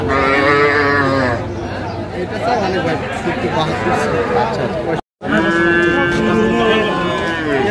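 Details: Sahiwal bull being bought by a farmer in Tangail, Bangladesh, 9/5/25: two loud, long harmonic moos, one opening the recording and another after a brief cut, with men talking in between.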